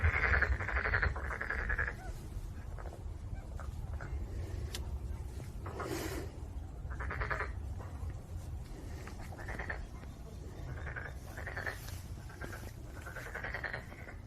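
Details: Black-spotted pond frog croaking: a series of grating, pulsed bursts, each about a second long, separated by short pauses, over a steady low rumble of background noise.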